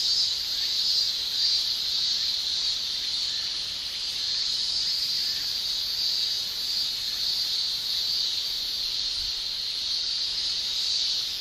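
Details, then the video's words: A chorus of male cicadas in Japan in summer, singing with their tymbals: an unbroken shrill, high buzzing that stays nearly level throughout, with slight wavering and no other voices. "Japan Summer Cicada Shrilling"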